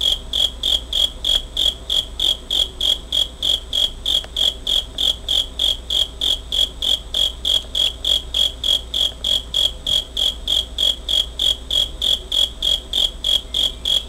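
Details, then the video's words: A cricket, recorded in August 2011 using a Pentax Optio S5z, keeps up a fast, metronomic series of shrill chirps, roughly three and a half each second, unbroken for the whole stretch, with a soft low hum behind. "귀뚜라미 소리 cricket sound"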